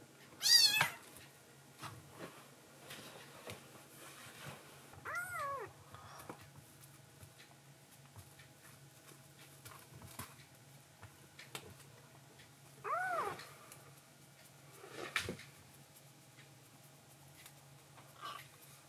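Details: Foster kitten, a rescued tuxedo-marked baby cat indoors at night, mewing to its mother after a milk feed: one high thin squeak, then two lower bent mews several seconds apart, over soft room noise and a single knock.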